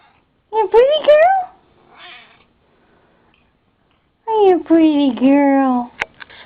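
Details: Pet female cat meowing indoors while her owner talks to her; two drawn-out, wavering meows with rich harmonics, the second longer and falling, separated by a few seconds of quiet, with a faint voice between.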